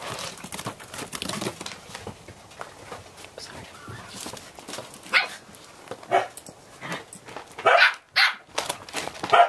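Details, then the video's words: Four Samoyed puppies, 8 1/2 weeks old, playing outdoors on a deck on November 2 after a rain deluge ended. Paws scrabble and clatter throughout, then several short, sharp, high yipping barks come in quick bursts near the end. "Atomic Samoyeds: 8 1/2 weeks"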